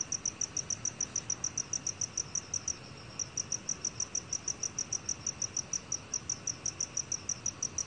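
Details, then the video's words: Rapid, piercing chirps of a black cricket, about three per second, form a long, nearly unbroken train with one brief break; recorded by the National Institute of Biological Resources in 2020, faint steady hiss beneath. "검은귀뚜라미, 여러번 듣기, 곤충소리"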